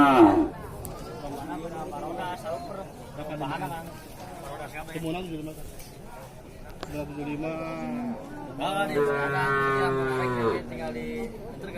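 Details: Cattle at the Ingon-ingon cattle market in Ciwareng, Purwakarta: low, drawn-out moos with rich harmonics, the longest and loudest near the end, over steady crowd chatter and nearby human voices.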